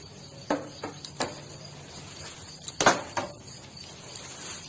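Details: A swarm of millions of locusts invading Jiroft, Kerman province, Iran, on 25 April 2020 fills the air with a steady, thin, high buzzing, broken by a few sharp clicks and taps.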